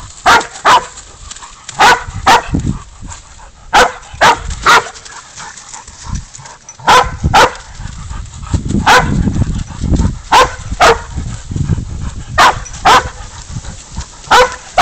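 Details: Spud the dog bays a goat during a catch-and-release hunt, giving sharp, harsh barks in clusters of two or three, steady for fifteen seconds, with rumbling movement noise underneath and a man's occasional praise.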